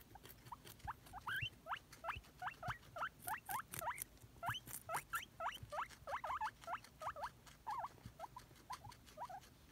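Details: Pet guinea pig wheeking in hope of a celery treat, a rapid run of sharp upward-sweeping squeaks, about three per second, some doubled or wavering, over faint rustling and crunching in the background.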